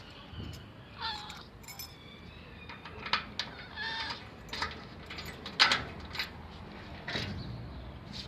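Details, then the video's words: Hungry old female cat in a garage begging for food, giving several short, faint, nasal meows spaced about a second apart, over clicks, rustling and background hiss. "Old Hungry Cat meowing For the Food"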